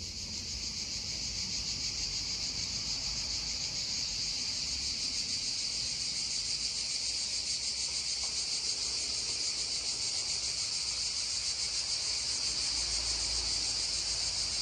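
Cicadas hold a steady, high, hissing drone without pause, with a soft stream murmuring beneath.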